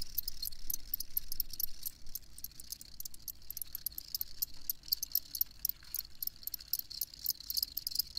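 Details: Cricket chirps repeated quickly and unevenly in a high, thin, rattling band over a soft low hum of background noise.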